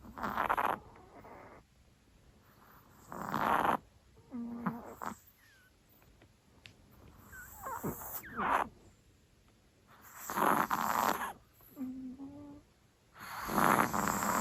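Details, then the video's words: Chihuahua sleeping in, snoring adorably loud: noisy, breathy snorts roughly every three seconds, with faint squeaky whistled tones between the breaths. "お寝坊チワワのいびきが可愛くうるさい - chihuahua snoring is adorably loud -"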